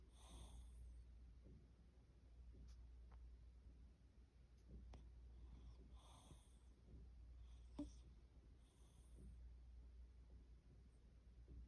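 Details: Quirky snoring from a sleeping rescued house cat indoors. Faint, low, wheezy breaths come roughly every two seconds, with occasional airy hisses and snorts above a constant low room hum.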